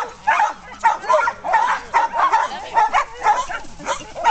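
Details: Splashing pet dog playing, giving short sharp barks and yips in quick bursts about twice a second, mixed with a woman talking affectionately to it throughout.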